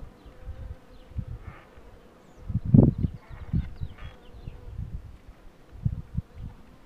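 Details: Honey bee buzz recorded as the queen box is pulled: short low humming bursts come and go irregularly, one louder surge near the middle, over a soft steady background drone.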